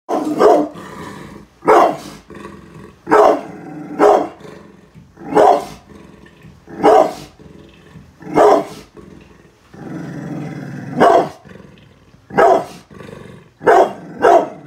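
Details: Brindle pit bull named Bullet guarding the house against construction workers outside, letting out sharp barks roughly every one to two seconds, with a long low rumbling growl between barks near the ten-second mark.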